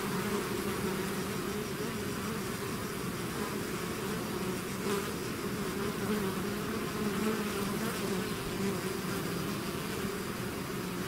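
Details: Honeybee swarm out of its hive: a dense, steady drone with a low hum near two pitch bands, unbroken for the whole stretch, no other sounds standing out.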